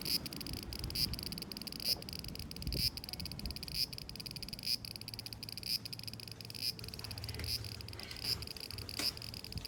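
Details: Cicadas in summer 2020 keep up a continuous high buzzing drone, pulsing faintly roughly once a second, with soft low background rumble.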